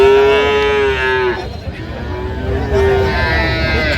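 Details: Cows and calves at Aftabganj cattle market in Dinajpur on 17 January 2026: a steady, loud low moo holds for over a second, a pause of market murmur follows, then a second shorter moo.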